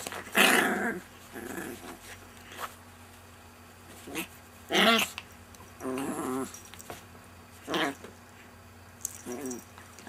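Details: Rocco, a friendly pet Chihuahua, indoors in a small room: short bursts of wavering, whiny growl-like vocalisations with harmonic stacks, some rising and falling, separated by quiet gaps, with a low steady hum underneath.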